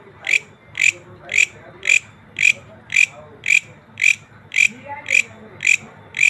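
A green grasshopper gives dry, rasping chirps repeated steadily about twice a second.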